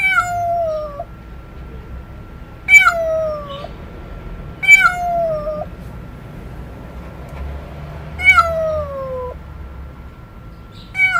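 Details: Domestic cat giving strange, loud meows: five descending, nasal cries spaced irregularly, each sliding down and ending in a flat drawn tone, over a constant hum and faint low background noise.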